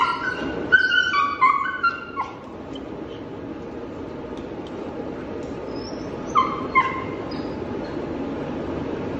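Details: Belgian Malinois pup, five months old, protesting being touched and leashed: a burst of shrill, quavering whimpers and short yelps for about two seconds, a long pause with steady low hum, then another short run of high whines.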